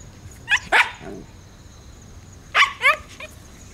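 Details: Shiba Inu mother dog barking at crows outdoors on a hot summer day, 14 September 2017, while her puppies play outside: sharp, loud barks in two quick bursts of two to three, about two seconds apart, over faint background hum.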